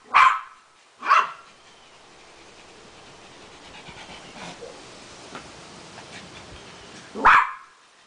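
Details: Adi, a Beagle dog meeting a poodle, gives two sharp barks close together, falls quiet for about six seconds with faint background noise, then barks once more.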